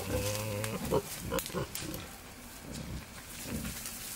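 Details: Courting male wild boar near a sow in the wild: a short tonal squeal-like grunt opens, followed by quick, choppy low grunts about two a second that fade, with background hiss.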